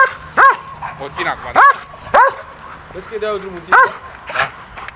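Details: Briska, a DDR German Shepherd, during early bite training with an agitator: four sharp, ringing barks spaced irregularly, with human voices talking between them.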